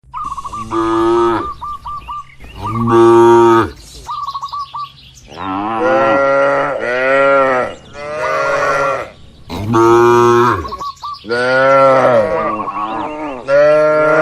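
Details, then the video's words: Cattle eating in a calm barn, natural sound without added effects: loud, drawn-out harmonic moos that rise and fall, several overlapping at once, with brief pauses, while small birds chirp in quick repeated bursts between the calls. "Moo Suara Sapi Lucu"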